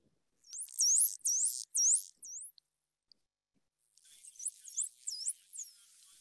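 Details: Several dolphins vocalize together, their high, looping whistles sweeping up and down in quick succession and overlapping in a mixed recording.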